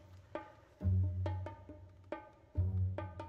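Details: Percussive music with tabla-like drum strokes and deep booming bass notes plays throughout, with no animal sounds.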